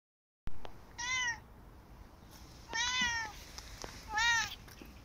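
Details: Korat cat, unhappy as its owner leaves for work, gives three clear, drawn-out meows about 1.5 seconds apart, each a rich harmonic cry that rises slightly and then falls, in a quiet room.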